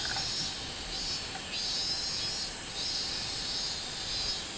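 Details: On 24 July 2016, a robust cicada sings a continuous shrill buzz, rising and falling in slow pulses roughly every second, over soft background hiss.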